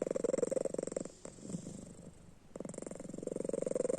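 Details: Pet cat snoring while asleep with open eyes: a steady fast throbbing rattle, about three to four pulses a second, breaking off for over a second in the middle before resuming strongly.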